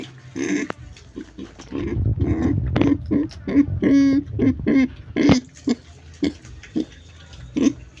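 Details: Pig making rough grunts mixed with a few drawn-out, nasal squealing notes near the middle, then spaced single grunts fading toward the end.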